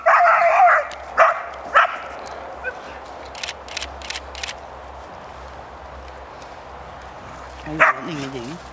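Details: Dogs Cash, Vinnie and Champ at play, with Cash putting the two teasing younger ones in their place. A burst of sharp, high yelps in the first second, two more short yelps, then near quiet with faint clicks and one last yelp.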